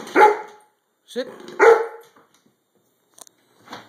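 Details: Chocolate Labrador Retriever, a four-year-old male, barks for play and attention at home: three loud, harsh barks in about two seconds, the second pair close together, with a person's voice urging him to speak.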